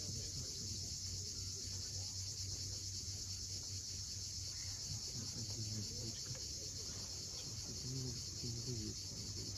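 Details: Sunset chorus of cicadas on Crimea's steep coast at Cape Fiolent: an even, shimmering high buzz without pause, over low wave wash and a few quiet bird notes.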